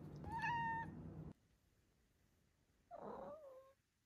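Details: Five-month-old female Maine Coon kitten indoors, one clear level meow lasting about a second, then after a pause a softer, rougher meow that rises and trails off, with quiet room background.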